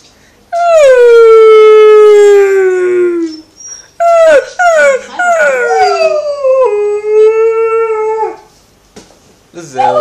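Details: An Alaskan Malamute gives long, drawn-out howls that slide gently downward, joining two people who are howling along with it.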